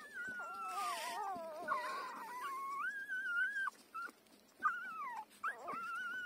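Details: Five-day-old puppy nursing from its mother, giving a sustained wavering whine that dips and climbs for several seconds, then a brief silence and a few shorter squealing cries.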